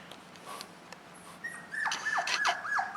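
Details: Jack Russell Terrier puppy named Doctor, playing, gives a run of high whimpering whines, each sliding sharply downward and repeated about every third of a second, after a quieter lead-in with soft clicks.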